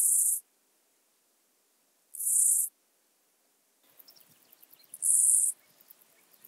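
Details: At Illmitz, Austria, 21 July 2021, a Chorthippus dichrous grasshopper sings short, very high rasping buzzes, each under a second, spaced about every two and a half seconds; a faint background rustle sets in for the later part.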